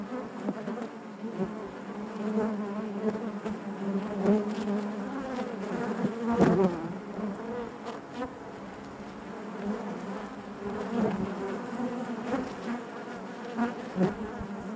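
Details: Inside a honey bee hive, a continuous low drone of many bees, harmonic tones wavering up and down as nearby insects shift, with occasional brief ticks and a louder swell near the middle.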